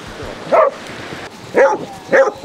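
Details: Basset Hounds out on a walk with a pack of 30 on sunny Exmouth beach, Devon; three separate baying barks about a second apart, each with a rising-then-falling tone, over faint beach background noise.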